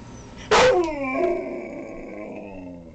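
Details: A dog opens with a sharp, loud yelp that slides into a drawn-out, falling, tonal howl, thinning and fading over about two seconds in a quiet room.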